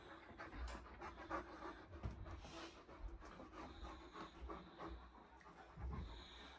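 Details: Irish Wolfhound panting indoors in a bedroom, one of three males on a rainy walking holiday in the Lakes; rapid, breathy, rasping puffs repeat steadily at roughly two per second, with low room rumble beneath.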